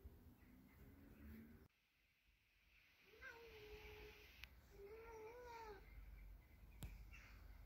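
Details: Male Ragdoll cat protesting loudly with two drawn-out, harmonic meows, the first level and steady, the second rising then falling slightly, in a small indoor room with background hum and a brief babble early on.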